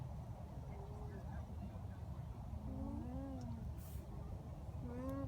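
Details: Alpacas, including a mother and babies, give soft, wavering nasal hums that bend up and down in pitch, with people talking nearby, on a farm in Townville, South Carolina.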